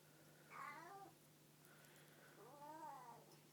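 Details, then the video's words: Domestic cat giving an unusual, odd-sounding meow: two drawn-out wavering meows, the first rising then falling, the second longer and bending upward then down, with a quiet steady hum underneath. "Weird Cat Noises"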